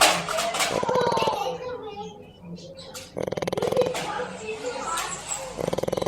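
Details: Pet dog, male, owned by a little girl, snoring while asleep: three buzzy, rapidly pulsed snores at the start, middle and end, separated by human voices chatting softly nearby.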